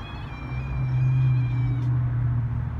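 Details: A cat outdoors giving a long, drawn-out meow held at a nearly steady pitch for almost two seconds, then breaking off abruptly, over a loud, constant low rumble.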